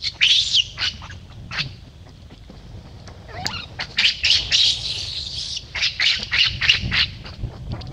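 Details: Harsh, shrill screams from baby monkey Lucie after Luna kicks her into a hole: a burst of screeches, a short pause, then a dense, pulsing series of cries.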